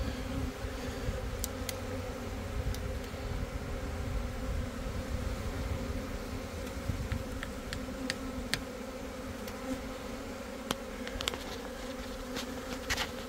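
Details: A dense, steady drone of a swarm of many Italian honey bees that left a backyard hive, settled on a cut branch, and are being coaxed into a new hive, with the queen in the middle.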